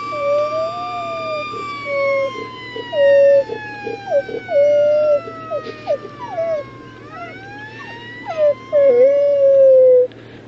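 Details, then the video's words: Jack, a pet dog, howls along with a passing siren, giving wavering, drawn-out tonal howls broken into repeated short phrases over ten seconds, while the siren's long falling wail sweeps underneath. "Jack howling at sirens"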